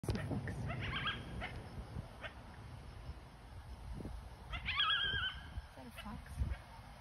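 A coyote gives short, high, wavering howls and yips over a low rumble of background noise.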